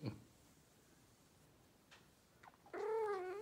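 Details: Persian cat talking to its owner: a brief trill at the start, then a drawn-out harmonic meow that dips and rises slightly at the close, in a quiet room.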